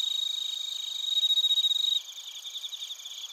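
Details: Suzumushi bell crickets and koorogi crickets chirping in Narita, Chiba Prefecture, Japan, captured with a TASCAM Portacapture X8; a loud, close pulsed trill for two seconds, then softer, more distant ringing chirps.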